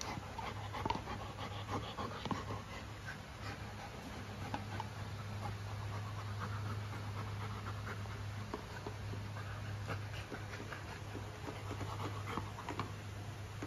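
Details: Luna the golden retriever enjoying her new carabao horn chew toy, breathing in steady, fast pants for over ten seconds, faint gnawing ticks and a constant low-pitched hum beneath.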